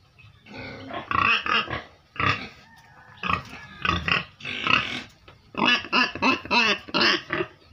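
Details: Penned pigs raised to help a family earn money squeal and grunt in loud clustered bursts, harsh and nasal, with a fast run of squeals near the end.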